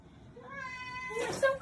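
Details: A baby cat gives one drawn-out meow, steady and tonal with rich overtones, lasting under a second. A short burst of hissing noise follows, and a woman's soothing voice is heard around it.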